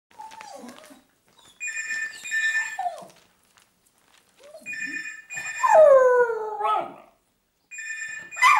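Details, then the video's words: Bridie, a rescue dog at West Cork Animal Welfare in Ireland, alerting to a ringing phone: short wavering howls and whines interleaved with repeated bursts of electronic telephone ringing. "Bridie the very useful telephone alert dog"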